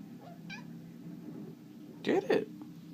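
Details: A pet Bengal cat, indoors at play while being urged to chase a laser pointer. A faint short mew comes early, then a loud, strained double meow near the end, with a man's voice prompting the cat.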